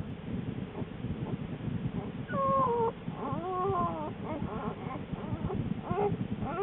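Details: American black bear mother in her den in mid-January, not long before the birth of her two cubs: a run of wavering, whimpering tonal calls, some sliding down, others arching, over continuous low breathy rustle.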